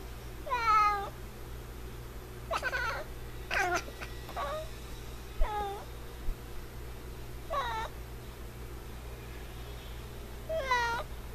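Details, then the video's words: A male F6 Savannah cat meows repeatedly, with six drawn-out, rising-then-falling, nasal cries spaced a couple of seconds apart and a quiet steady hum in the background. "Super cute Cat Noises"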